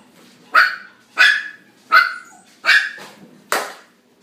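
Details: Black male Miniature Dachshund, born 7 March 2019, at a pet shop, giving five sharp, bright barks spaced roughly 0.7 seconds apart, each bark clipped and quickly fading, over a quiet background.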